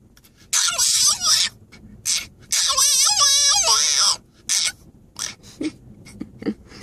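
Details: French Bulldog protesting a car ride: two long bursts of high, wavering, squealing whines with shifting pitch, separated by shorter yelps, while a person talks soothingly in between.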